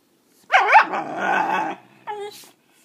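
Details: Puppies, including ones named Brownie and Chanel, being coaxed to bark on command; a wavering yelp slides into a rough, growly bark lasting over a second, then a short higher yip.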